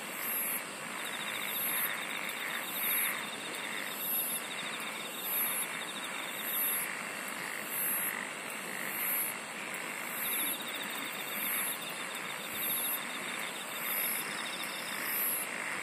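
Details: Singing insects forming a dense night-like chorus: shrill high buzzes recurring roughly each second, a fine pulsed trill fading in and out, and a constant broad hiss of many callers underneath.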